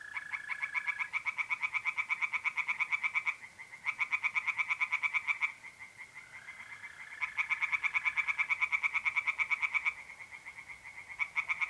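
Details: Singing tree frogs in a pond by night in mid-April, North-East Italy: fast, rattling pulsed croaks in runs of about three seconds with brief gaps, over a smooth continuous trill of mole crickets.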